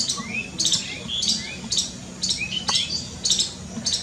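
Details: Frightened squirrel calling with harsh high chips repeated roughly every half second, interleaved with faint thin rising whistles and a low steady hum.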